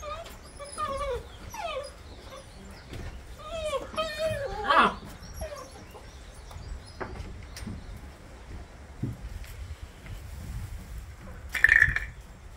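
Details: A litter of new Bernese Mountain Dog puppies, September 2023, squeals in a run of high, wavering whimpers and squeaks over the first five seconds. Softer, scattered sounds follow, then one sharp squeal near the end.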